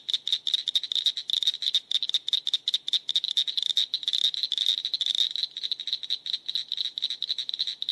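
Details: A small Northern cricket frog (Acris crepitans) gives its advertisement call: rapid, dry clicks likened to a cricket, two stones tapped together, or a socket-wrench ratchet.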